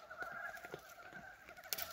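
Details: Frogs, likely the first of 2023, calling on a warm February 19 at a farm in early spring: short, low, clucking croaks over a steady hum of distant callers.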